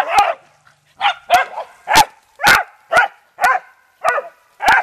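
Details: Pet beagles and dachshunds having fun in water give a steady string of about nine hoarse, excited barks, roughly one every half second, each a broad noisy burst.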